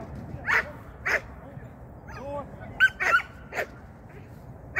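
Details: Sian, a Shetland Sheepdog, at a first training lesson in 2023: sharp, bright barks in separate bursts, a pair close together near the three-second mark, with soft whining between them over a low background murmur.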